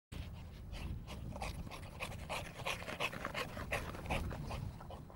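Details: Sport bulldog during training at a kennel in Hungary, heavy rapid panting with rough breathy bursts at a fast uneven rate, about three breaths per second, over low steady background rumble.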